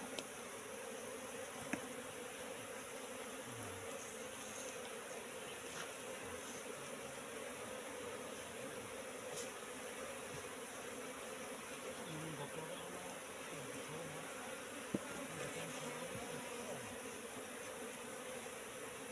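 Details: Wild Asian honey bee colony, Apis cerana, inside a trap box set three months earlier. A low, steady droning hum holds for the whole stretch, with faint scattered clicks and a soft background hiss.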